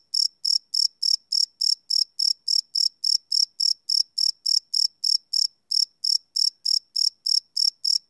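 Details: Crickets chirping at night, recorded live on a Sony PCM D100 field recorder: a clean, high-pitched pulsed chirp repeating steadily about three times per second, each pulse bright and ringing, with no other sounds.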